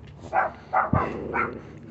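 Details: Four evenly spaced, clipped yaps from a female Chihuahua puppy intent on digging beneath a fence, about half a second apart, with a soft thump between the second and third.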